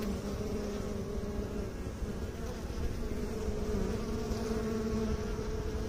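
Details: Steady humming of honey bees, a buzzy drone whose upper tone drifts slightly higher and lower over six seconds, with constant low rumble beneath.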